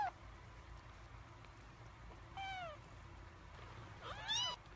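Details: Three-week-old kittens, hungry before feeding: thin, high mews, one falling cry midway and a rapid overlapping pair near the end, over steady background hiss.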